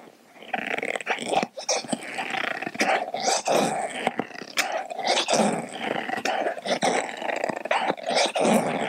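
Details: Indoor domestic dog growling steadily while chewing a dental chew toy; Kaia the Doberman and Edu the Baja rescue take turns cleaning their teeth. A low rumbling growl runs almost continuously, broken by sharp clicks and crunches of teeth on the toy.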